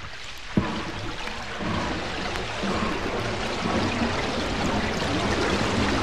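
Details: Underwater hydrophone recording of a humpback whale off Bermuda in spring: rhythmic steam-engine chuffing as it spins a bubble net to trap krill, then a burble of rising bubbles, before the whale spouts its breath at the surface.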